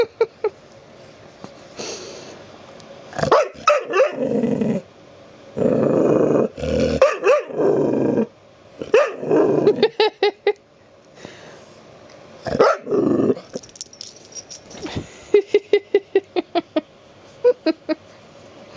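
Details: A pet dog that wants petting makes irregular growls and grumbling barks, ending in a fast run of short yips.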